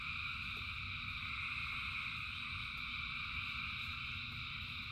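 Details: A large frog chorus during rain, overlapping shrill trills merging into constant stacked tones, with a few faint clicks and a low rain rumble beneath.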